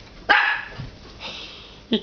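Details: Axel, a nine-week-old puppy, barks at his own reflection in a fireplace glass door indoors: one sharp, bright bark, followed by a faint softer sound and a brief closing yip.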